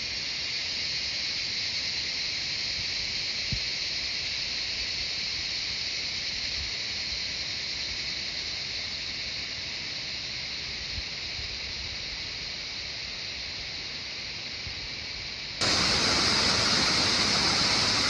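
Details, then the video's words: Jungle cicadas in Shivapuri Nagarjun National Park, Kathmandu surroundings, Nepal: constant shrill buzzing wall of sound, fairly level, then abruptly louder and harsher near the end. "Cicadas singing the jungle of Shivapuri Nagarjun National Park"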